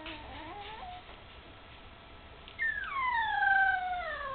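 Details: Candy's litter of puppies, almost three weeks old and just beginning to walk unsteadily; a faint wavering whimper opens, then after a quiet pause a louder, drawn-out whine slides steadily downward for over a second.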